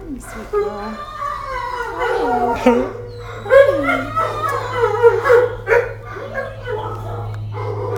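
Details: Roxy's big puppies in kennel 621 whimper and yip in a crowded chorus, short swooping cries tumbling over each other, while a person speaks to them and a steady low hum runs beneath.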